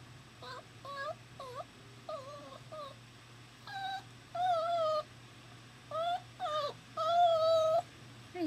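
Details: Puppy recently separated from its mother, crying at work: repeated high, wavering whines and yelps, short at first then longer and louder, spaced a second or so apart in a quiet room.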